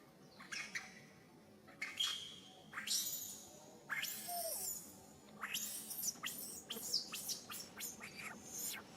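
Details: Baby monkey crying while its mother teaches it back style: a run of harsh, high-pitched screeching bursts, some noisy and some tonal, repeated in quick succession with short pauses between.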